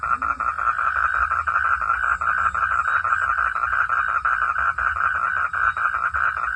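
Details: A frog calls at night under the sky with a steady, rapidly pulsed rattling call that runs without a break.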